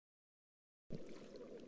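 A Gulf toadfish gives a low, humming tonal note with a buzzy overtone after a bed of underwater crackle.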